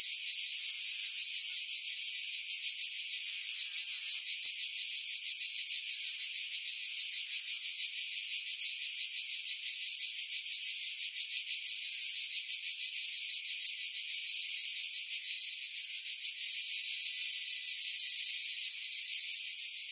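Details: Loud unbroken cicada song in July 2018 on Skiros Island, Greece, from pine trees 50 m above Pefkos Bay; a bright metallic buzz with fast fluttering pulses about three per second, swelling slightly near the end.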